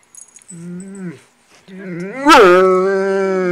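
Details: Norman, a foster Great Dane, vocalizes that he is ready to eat breakfast: a short moaning note, a pause, then a longer rising whine-like howl that breaks and settles into a steady sustained tone.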